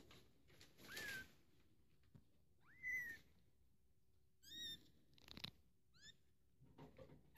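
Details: A two-week-old female British Shorthair kitten gives thin, high mews, each rising then levelling off.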